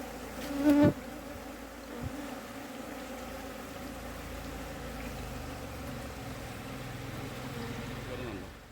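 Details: Honey bee colony being moved into a pit in the soil to be kept there; a steady low droning buzz, a loud bump near the start, continuing evenly to the end.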